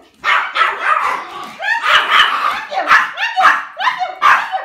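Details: Excited Pomeranian puppies, three of them, welcome their owner home from work with quick, repeated high-pitched yips and whining barks, roughly two per second, over an indoor background with some voices.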